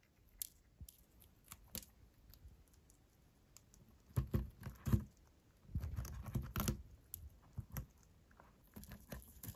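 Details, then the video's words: White hamster eating a carrot and beet tartlet: sparse soft clicks at first, then louder clustered crunching and tearing bites in two main bursts, recorded close up in a quiet indoor setting. "Hamster’s crunching a tartlet with carrot and beet"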